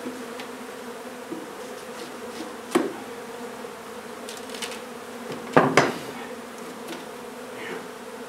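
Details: Honey bee colony in a hive inside an old home under renovation in Donna, Texas, during hive removal: a steady, even drone of many bees humming with a low, layered tone, broken by a few sharp knocks and clicks of handling.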